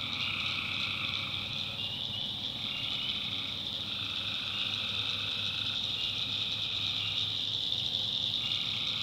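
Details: Swamp at night in the North Carolina backwoods, full of tree frogs: an unbroken high trilling wash plus a middle tone pulsing on and off in bursts of one to two seconds, with a quiet low background murmur.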